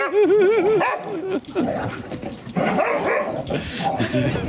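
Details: Daisy the English Springer Spaniel, urging her son and daughter to play, opens with a wavering, yodel-like whine that rises and falls several times, then breaks into choppy barks amid human voices.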